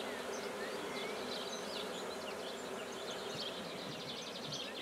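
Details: Continuous low drone of black bees as a new beekeeping hive is set up at Guernay in Côtes-du-Nord, France, with small birds chirping and twittering in the background.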